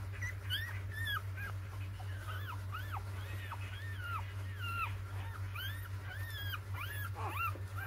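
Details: A four-day-old litter of six puppies squeals continuously, thin arched whines rising and dropping in pitch, several per second and overlapping, with a constant low electrical hum underneath.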